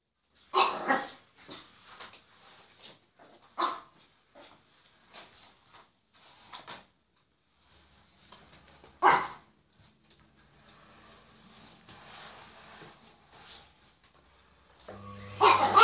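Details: Chihuahua indoors fighting a vacuum cleaner, giving short sharp broadband barks in scattered bursts, loudest near the start, middle and end, with quieter yaps between and a low machine hum rising at the close.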